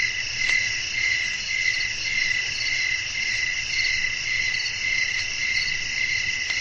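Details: Night ambience of crickets chirping with a soft wind, a sustained high-pitched layered trill pulsing around twice a second, with a few faint clicks.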